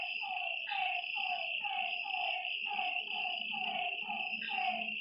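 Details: Frogs calling at night beside a lake: a rapid series of short, downward-sliding notes, roughly two each second, over a steady, high, continuous insect drone.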